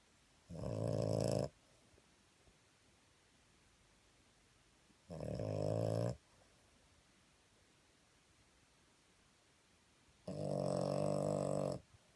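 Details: Sleeping dog snoring indoors: three long, rasping snores about one second each, spaced roughly every four to five seconds, with quiet breathing pauses between in a small room.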